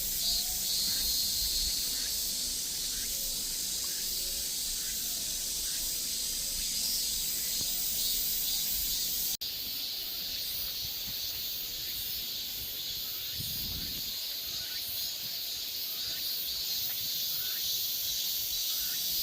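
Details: Korean cicadas in a dense, unbroken, hissy high-pitched chorus with faint regular pulsing, interrupted by an abrupt cut and a short low thump later on.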